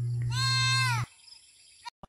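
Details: A goat at a countryside pasture calls with one loud, bright, quavering bleat lasting under a second that ends abruptly, followed by near silence with a faint click and a brief thump.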